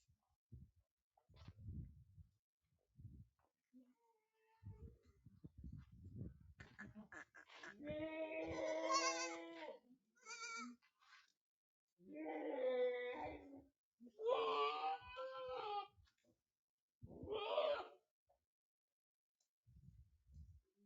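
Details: Young goat kids on a goat farm in Aurangabad, Maharashtra, India, giving several loud, wavering, nasal bleats in the second half, each one to two seconds long, after soft rustling and handling noises and brief human speech.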